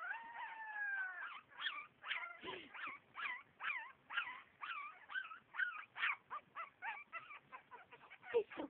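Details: Havanese dog's howl starts with two long, steady, drawn-out tones, then breaks into a quick series of short, wavering yodel-like notes, roughly two or three per second, that dip and rise in pitch.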